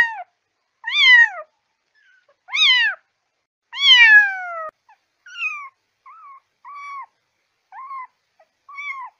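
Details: Kitten meowing meant to draw cats near: several loud, arching meows in the first half, then a run of softer, shorter, flatter mews that trail off, with quiet gaps between them.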